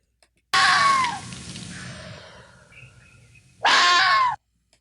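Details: Red fox scream, one of the 12 sounds foxes can make, replayed twice: a harsh, high, hoarse shriek that falls in pitch, silence, then the same scream again, with faint birds in the background.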